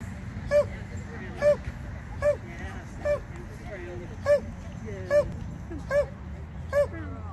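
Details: Border Collie on a novice agility run, barking in a steady series of eight sharp, ringing barks spaced under a second apart, over constant low rumbling background noise and faint murmur.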